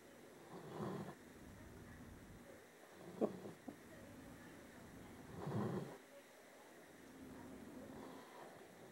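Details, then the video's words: Sleeping male pet dog giving gentle snores that had grown quieter than earlier: soft, low, airy rasps about four to five seconds apart, with a couple of brief clicks between them against a quiet indoor hum. "My dog snores!"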